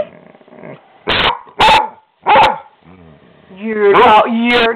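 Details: Pet dog being mouthy and talking back to its owner indoors, giving drawn-out, wavering, whiny yowls and short grumbles between a woman's scolding speech.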